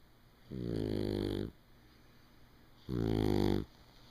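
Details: Shar-Pei named Doc Winkles snoring while asleep, mistakable for a pig: two long rasping, harmonically rich snores, each about a second, separated by a quiet breath of roughly 1.5 seconds, indoors.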